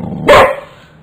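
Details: A one-year-old Boxer dog in a yard, reacting to a caterpillar it has come across, gives a single loud, sharp bark that cuts off abruptly and fades into quiet.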